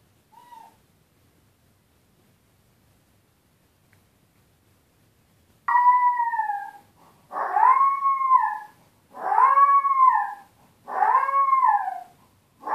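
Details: Tito, a puppy left alone while his owners are out, cries after a long quiet spell: a series of four or five arched, wavering whines repeating roughly every two seconds in the second half.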